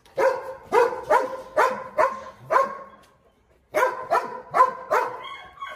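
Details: Presa Canario named Xuanfeng, a lame pack-leading dog still marking territory and facing a strong rival, gives a run of loud, deep, evenly spaced barks, about five in two seconds, then a pause and another quick burst of four.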